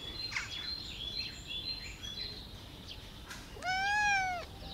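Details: Black cat making a single arched meow that rises then falls near the end, after several seconds of soft high-pitched chirping and twittering in the background.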